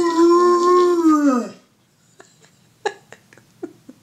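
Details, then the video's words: Indoors, a Rottweiler copies his own recorded morning howl with one loud, steady, strongly tonal note lasting about one and a half seconds, sagging at the end, followed by quiet clicks and small knocks. "Guaranteed to make you Rottweiler sing!"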